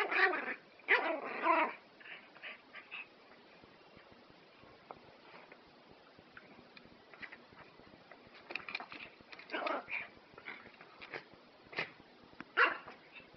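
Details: Prague Ratter barking indoors: a burst of high, sharp yapping barks in quick clusters at the start, then scattered quieter yips and whimpering sounds spread irregularly through the rest.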